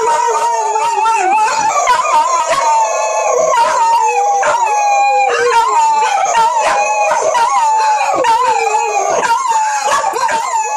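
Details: Female dog Monthy giving a wolf-like howl, which she does roughly once a month. A sustained, wavering tone bends up and down without a break, with sharp clicks and rustling scattered throughout.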